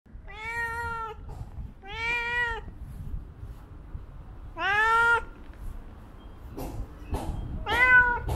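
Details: Hungry black stray cats being fed in a city street, meowing four times: drawn-out harmonic meows, the third loudest, with soft clicks and a person coaxing them to come.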